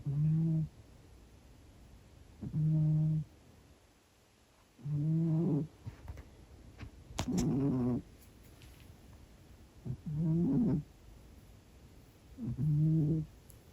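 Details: Domestic cat, a 16-year-old female, snoring in deep sleep during a nap indoors: six low, steady breaths with harmonics, each lasting under a second and recurring about every two to three seconds, faint background hum.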